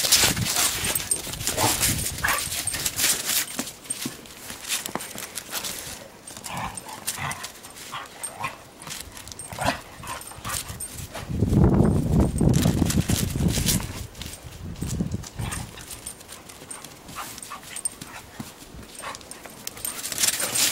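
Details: Two dogs, a Weimaraner and a collie, romping roughly together in snow on their first play outdoors; scattered short vocal bursts and a stretch of louder low growling mid-clip, with footsteps and scuffling throughout.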